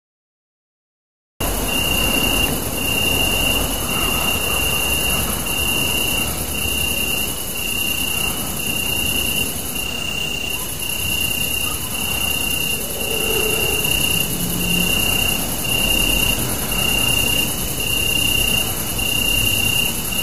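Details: Crickets chirping at night under a super moon, recorded on a Samsung Galaxy Note 3: a steady, high, shrill trill with faint pulsing throughout, a thinner very high buzz above it, and a constant low rumbling background noise.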